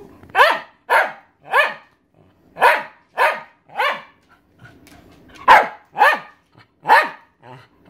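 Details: Thirteen-year-old female Welsh Terrier barking because she wants her owner's dinner: sharp, loud barks in quick pairs and runs, about ten over eight seconds, with short pauses between bursts and quiet indoor background.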